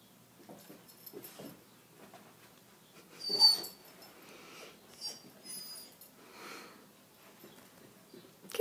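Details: A Vizsla, apparently investigating an "insect" it has found, gives soft whimpers and breathy, wheezing snuffles, with one louder huff partway through.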